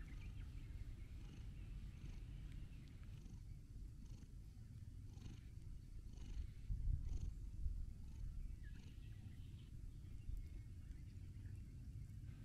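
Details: A gentle orange-and-white stray cat being stroked, looking blissful. Its soft, low purring rumble runs steadily throughout with no pauses, and the background is quiet.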